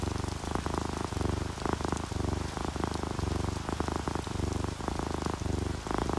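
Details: Sleepy house cat, an orange tabby or calico, purring in a relaxed state; a low buzzy rumble swells and fades with each breath, roughly once a second, over soft steady rain and raindrops.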